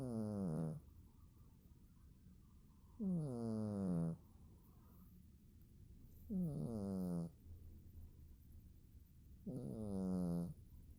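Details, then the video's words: A domestic cat snores in its sleep, giving four steady, low, rasping snores at fairly even intervals of about three seconds, each lasting around a second, in a quiet indoor setting. "Кот храпит во сне"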